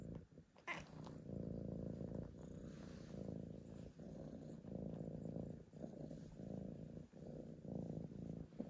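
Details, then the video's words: Male tabby cat asking to be petted, giving a steady low purr that throbs in pulses with brief breaks under a second apart, one sharp click near the start. "I meow, you pet me"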